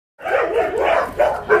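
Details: Dogs at an animal shelter in Ulsan, South Korea, recorded during a volunteer visit: a dense burst of overlapping barks and yips, several barks stacked within under two seconds, each sharp and mid-pitched with a rough, harmonic tone.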